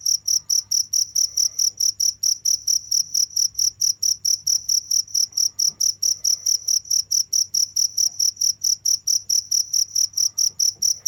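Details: Nonstop cricket chirping, a long run of piercing high pulses about four or five per second, very regular, with a quiet low drone and faint scattered noises behind.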